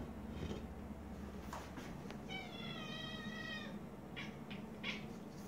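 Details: Pet cat indoors chittering at a moth, an odd feline vocalization; soft clicks and brief bursts, then a thin, steady, harmonic chattering tone held for about a second and a half, followed by short chirpy clicks, over steady background hum.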